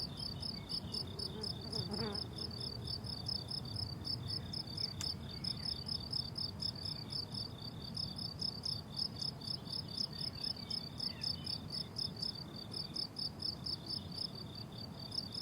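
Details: Summer meadow crickets in bloom-filled grass keep up a rapid, even stream of high, ringing pulses, repeated many times a second without a break, with a few faint soft clicks beneath.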